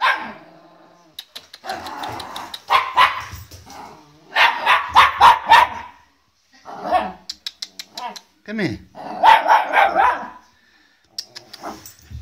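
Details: Welsh Terrier puppy Olive, wary of an unfamiliar guitar, lets out clusters of quick yappy barks mixed with a person's voice calling to her, with short gaps between bursts.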